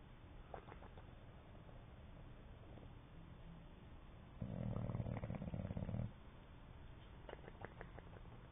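An English Bulldog snores with a deep, rumbling rattle and soft, fluttering lip flaps between breaths.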